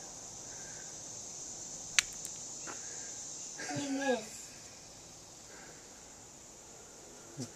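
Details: Cicada on a porch after being poked with a stick: an unbroken high buzzing screech runs throughout, with sharp clicks early on and a child talking briefly midway.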